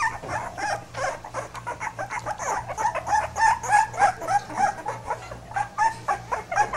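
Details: Pit bull puppies whimpering in a steady rhythm, short nasal pulses repeated about three times a second, with a few thin squeaky whines rising above the chorus, indoors.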